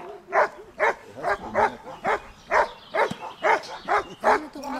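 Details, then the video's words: Giant Schnauzer female in protection training, barking in a steady series of about ten sharp, harmonic-rich barks roughly every half second, with a man shouting encouragement in the background. "Riesenschnauzer Dea vom Wasserschloß - Schutzdienst"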